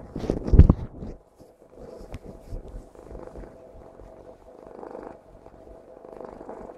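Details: Domestic cat named Tiffany purring while hugging, a low soft continuous rumble with faint rhythmic swells, after a brief louder rustle and some handling noise at the start.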